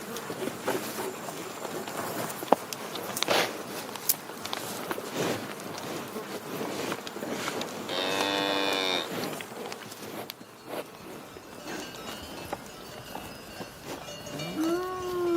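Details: A cow lets out one brief, steady moo midway through amid busy clicking and knocking sounds, then a second call begins at the very end, rising in pitch as it starts.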